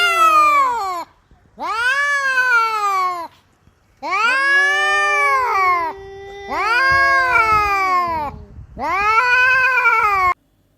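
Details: Domestic cat from a funny cats compilation uttering five loud, drawn-out meows, each an arched, richly harmonic wail of roughly one to two seconds, separated by short silent pauses.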